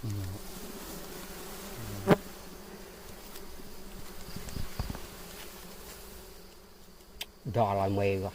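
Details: Bees at a big beehive in a mango tree keep up a steady low hum with layered buzzing tones, broken by sharp clicks and handling knocks, and a louder burst of droning near the end.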